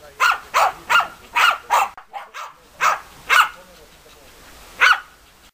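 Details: A rapid string of five sharp barks from the German Hunting Terriers Bagira and Cox von der Fuchskralle, a brief lull with softer sounds, then two more barks and a final lone bark.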